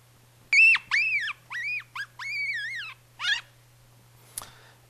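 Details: A yellow-bellied marmot pup, within days of first emerging from its burrow, screams in a run of shrill, arching cries with a rough, strained edge, showing nonlinear features such as subharmonics, chaos and noise.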